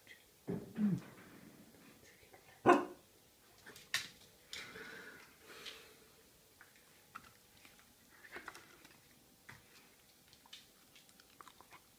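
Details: Two pet dogs, Peggy and Iris, barking indoors in a small room while begging for food; a few sharp barks in the first three seconds, then softer scattered whines and yips with faint room noise.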